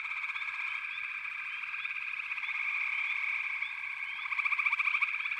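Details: Dense frog chorus from backwater, possibly including pig frogs and water frogs, a continuous high trilling wall of overlapping calls with a louder pulsed trill swelling near the end.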